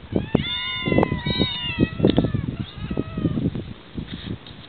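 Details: Several barn cats sheltering in a ranch barn on Yonaguni, Japan, meowing: overlapping long, level, tonal meows during the first two seconds, then a shorter falling meow, with people talking underneath throughout.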